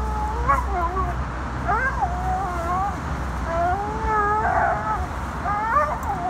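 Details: Excited American Staffordshire Terrier Tank, out in autumn, whines in wavering, rising-and-falling cries several times over a few seconds while a person talks to it, with steady low background rumble.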